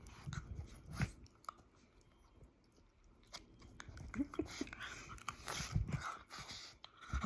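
A French Bulldog grunts, snorts and snuffles in low bursts while play fighting, with chomping sounds.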